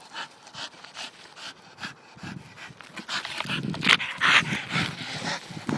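A Staffordshire Bull Terrier pants rapidly, with breathy bursts and a few high whines.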